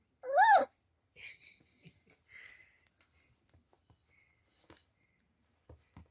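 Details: Beagle puppies taking their first steps indoors; one loud, sharp, arching yelp opens, followed by a few faint thin squeaks and small scuffling sounds in a quiet room.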